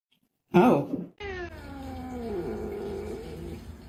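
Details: Indoor domestic cat: a loud thump or rustle, then a drawn-out meow that slowly falls and wavers, in a small quiet room.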